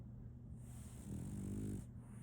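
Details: Sleeping female French Bulldog puppy Solaimy gives a single drawn-out low snore lasting under a second, rough and rattling, against a steady low hum.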